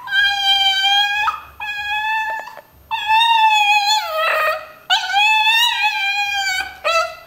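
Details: Indoor pet dog vocalising back to its owner in a "talking" manner, with long, level, tuneful howls that dip and bend in the middle, three extended phrases separated by short breaths and faint rustling.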